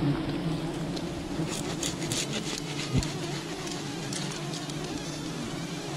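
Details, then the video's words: Wild bees at a colony during honey hunting, giving a low droning hum with a faint harmonic overtone, set against broadband hiss and brief rustling clicks. "Wild bee honey hunting"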